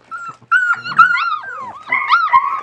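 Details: West Siberian Laika puppies, a 37-day-old litter on their first day outside in a puppy pen in fine weather. They give high, wavering whines and yelps that bend up and down in continuous overlapping strands, with a brief rough growl early on.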